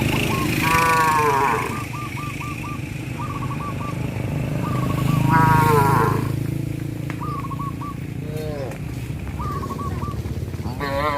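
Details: Cows being herded along a countryside road by a farmer, heading out and returning; a few short, harmonic moos rise and fall over low road rumble, with repeated brief chirping bird calls and faint voices in the background.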